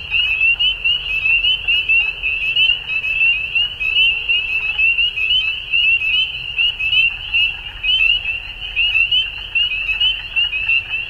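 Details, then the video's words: Many frogs chorusing at dusk in springtime Ontario, Canada; high, piercing, slightly rising peeps overlap without pause, the volume pulsing gently, a quiet low rumble underneath. "Frog Sounds At Dusk"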